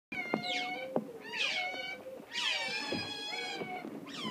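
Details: Group of zoo otters waiting to be fed and begging for food: overlapping high, squealing whistled cries with sliding pitch, several voices about once a second, plus clicks and knocks.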